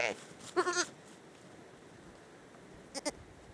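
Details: Young hair sheep lamb, a Dorper and Katahdin cross, on a farm in the North Carolina mountains, bleating to wake its napping twin sister: short quiet bleats at the start, then two brief soft sounds near the end.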